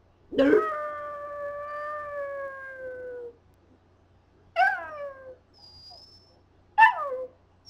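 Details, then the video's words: Duff the Scottish terrier howls when teased into singing: a long, level, mournful note lasting about three seconds, followed by two shorter howls that start high and slide downward, separated by quiet pauses. "Duff Sings the Blues"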